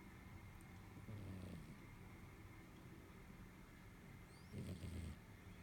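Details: A sleeping cat snores, two low, rough, breathy rumbles about three and a half seconds apart over a steady background hum, with a faint high squeak near the second breath.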